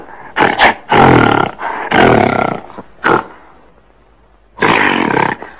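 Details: Gorilla calling: loud, harsh, broadband roars in separate bursts of about half a second to one second, with short gaps and a longer pause before a final roar.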